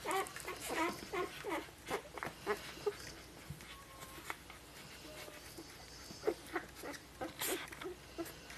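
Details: A 2013 litter of Golden Retriever puppies, five days old, makes short, scattered squeaks and little grunts, repeated irregularly amid steady pattering and rustling of bodies moving.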